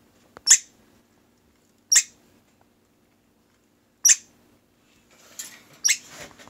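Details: Indoor orphaned squirrels eating broccoli let out short, sharp, high barks spaced about one and a half to two seconds apart, the last ones rougher and doubled, in a quiet room.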